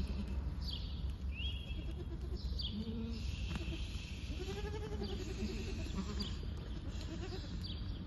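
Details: Awarid goats, a herd of eight does followed by nine kids, at Al-Summan: several wavering harmonic bleats at intervals over a constant low rumble, with faint high whistled notes in the background.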